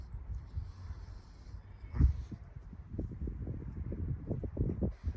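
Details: A Chihuahua caught mid reverse sneeze, giving a series of low, rough snorting gasps that quicken and grow denser toward the end, with one sharp louder burst early on.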